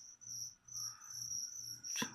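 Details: Crickets raised as food for a leopard gecko give a nearly continuous high, shrill pulsed trill with slight swells in loudness, ending with a sharp click of handling.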